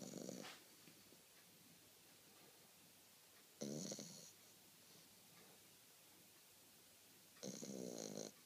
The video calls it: Zombie French bulldog snoring